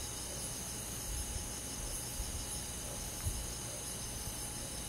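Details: Night-time summer insect chorus, crickets trilling steadily high and thin, while low rumbling and a few soft knocks sit underneath.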